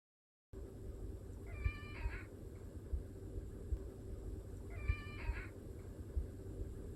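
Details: Household cat, either a Chartreux or an orange tabby sharing a home, asking for food or to be picked up: two brief, bright meows roughly three seconds apart, each slightly wavering, with a constant low droning background.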